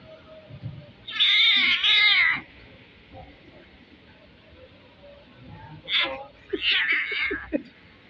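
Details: Kitten making an odd, strange-sounding cry: a loud, drawn-out, high wavering meow lasting over a second, then after a quiet pause a cluster of shorter, broken, squeaky calls, with faint background noise between.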